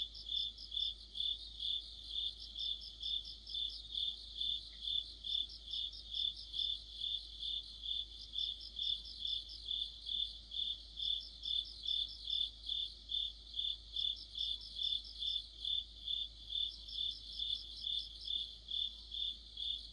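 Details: Autumn chorus of crickets and other insects in Korea, heard near a streetlamp: a steady high chirping pulse about twice a second, with a second faster trilling voice layered in bursts above it; no other clear sounds.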